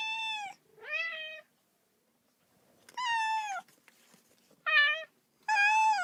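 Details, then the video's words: Baby cat calling for its mother with a run of five clear, tonal mews in six seconds, some short, some drawn out and slightly falling, separated by brief silences. "외롭고 슬픈 아기 고양이 울음소리, 엄마 어딨어~(Sad baby cat sound)"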